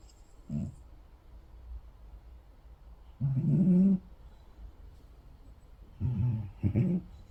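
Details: A cat asleep snores with low, gravelly rattling breaths, each under a second, spaced roughly three seconds apart, in a quiet indoor setting.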